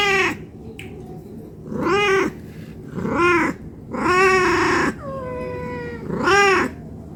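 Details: Hungry cat begging for food, giving a run of harmonic meows, each arched and about half a second long, spaced roughly every one to two seconds, with one longer, flatter meow near the end and a steady low hum behind.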